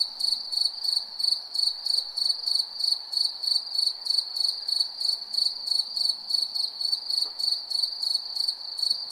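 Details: Shrill cricket chirps repeat in a regular pulse, close to three bursts each second, bright and metallic, with a faint low hiss beneath.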